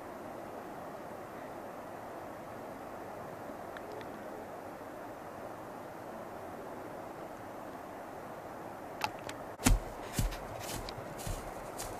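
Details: Steady low background hiss of a quiet night outdoors, with a few sharp clicks and knocks near the end, and no animal calls.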